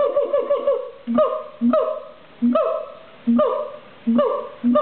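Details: Captive siamang at a zoo in Los Angeles. It gives loud, resonant hooting notes, each swooping then falling, repeated about every 0.8 seconds. Deep short booms sit between them, with a rapid stutter of notes at the start.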